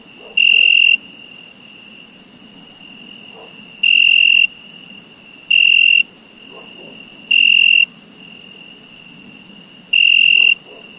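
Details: Crickets calling in summer: five piercing chirps, each roughly half a second long, arriving at uneven intervals over a continuous high-pitched background trill.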